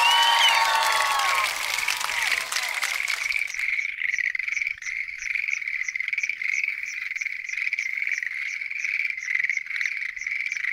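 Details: Schlegel's green tree frogs chorusing at night at a lotus pond. After about three seconds of harmonic, sweeping sounds, a dense, continuous chorus of rapid, pulsed croaks begins and runs steadily to the end.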